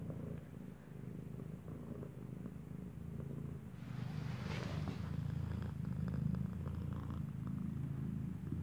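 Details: Mother cat purring as her newborn kitten nurses, its eyes not yet open; deep pulsing rumble grows louder midway, with a brief rustle of movement.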